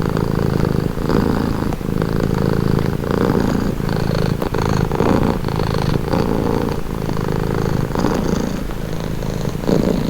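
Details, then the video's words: Rhythmic purring of a cat, the rough low rumble rising and falling with each breath about once a second, punctuated by tiny clicks, with a thin hiss of breath over the drone. "Purring cat"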